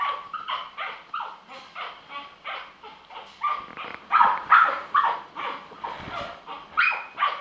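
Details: Pet-shop puppies in Kanagawa, Japan, giving steady runs of short yapping barks, about two per second, growing louder and more insistent toward the end, with some higher whimpering yips mixed in.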